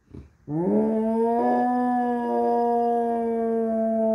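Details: Airedale Terrier howling at sirens: a brief low sound, then a sustained smooth tonal howl starting about half a second in, rising slightly and holding steady with rich harmonics for nearly four seconds.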